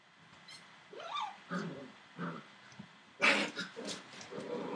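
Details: Entlebucher Mountain Dog puppies, seven weeks old, from one litter: a series of short whining yelps and soft muffled barks, rising to a louder burst of yips and whimpers near the end.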